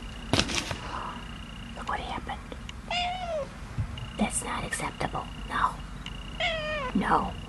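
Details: A 3-month-old Siberian kitten gives two short, falling meows. People talk over them, with soft knocks and household handling noises throughout.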